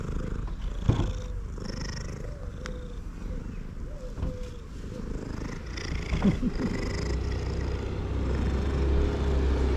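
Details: Male cat purring loudly while eating: a dense, low, continuous rumble with a steady pulse, a few soft high chirps and sharp clicks scattered on top.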